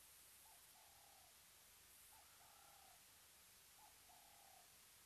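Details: A cheetah calls at Mabula Gnu waterhole, Mabula Game Lodge, South Africa, giving faint bird-like tonal calls, a short note then a longer one, every two seconds, and keeps calling behind the camera.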